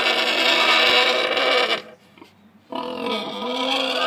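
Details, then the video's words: Penned Tamworth sow, weaned from her piglets about 36 hours before and wanting out, screams loudly in complaint at the person in her way; a long harsh squeal stops for under a second, then a second squeal starts. "Tamworth Sow - Loud Complaining"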